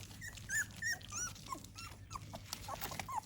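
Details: Squeaky, looping whines from American Pit Bull Terrier puppies at morning feeding time, several short nasal cries in quick, uneven succession, as a man speaks in Malayalam about their starter food and supplements.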